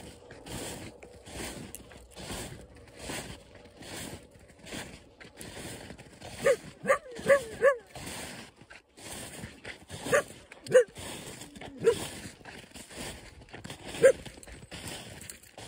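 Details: A coyote howls close by, giving short rising yips and wavering howl notes in a broken series.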